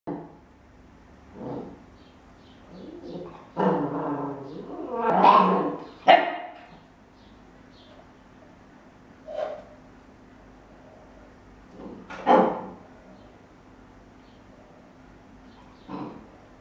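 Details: Charlie, a 13-week-old Welsh Corgi puppy investigating a measuring cup, gives short, sharp barks and yaps, spaced irregularly with quiet gaps between.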